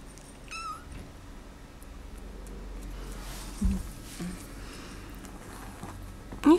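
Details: Bengal kittens indoors, a litter with a golden spotted male and a brown rosetted female; one kitten gives a short, high, wavering meow, then quiet room noise with faint knocks, and a sharper rising mew closes.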